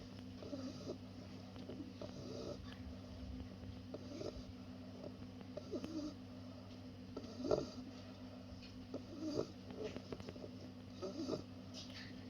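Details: Senbei, a two-month-old Bulldog puppy, snores in his sleep: gentle, throaty breaths recur about every one and a half to two seconds, with a faint steady hum beneath and occasional small clicks.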